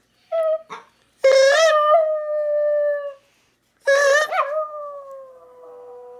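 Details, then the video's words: Domestic dog howling in response to a person's mouth noises, also stirring up other dogs. Two long, steady, wavering howls, each sustained a couple of seconds after a sudden start, preceded by a few brief short sounds, with quiet pauses between. "Making a dog howl"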